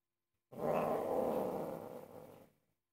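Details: Angry domestic cat indoors, upset while its owner cooks: one steady, low, throaty growl lasting about two seconds, droning evenly before it fades out, with no other sounds.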